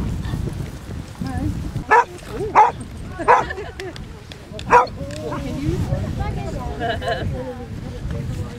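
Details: Basset Hounds out on a 5-mile group walk of 23 dogs around Ham Hill, Somerset, their 100th walk; four sharp barks spaced over about three seconds, followed by people chatting nearby.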